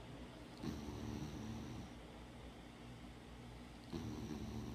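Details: Molly, a female former street dog, snoring while asleep: two low, rasping breaths about three seconds apart, each with a thin whistle on top, over a faint steady hum.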